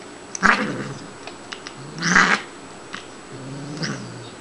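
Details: At play indoors, the Siamese female Shiloh gives three rough, throaty yowls spaced over a few seconds, the middle one loudest and breathiest, sounding angry yet only playful.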